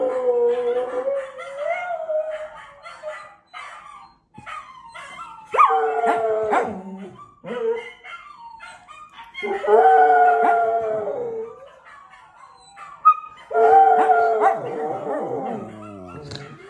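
A Scottish Terrier howls in drawn-out, wavering bursts, each sliding and breaking into yips.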